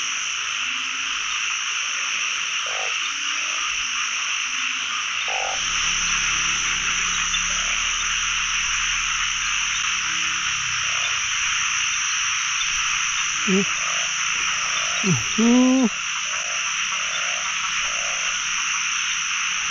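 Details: Chorus of narrow-mouthed frogs calling across a pond during the first frog catch of the year: scattered short croaks, then a cluster of louder, rising harmonic calls near the end, beneath a constant high-pitched buzzing background.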